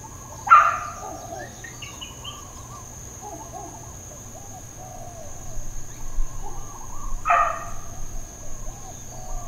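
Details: Neighbourhood dog in Hawaiian Paradise Park, Hawaii, barking intermittently on Labor Day, September 2, 2024: two single loud, sharp barks about seven seconds apart, with softer distant barking and bird chirps in between.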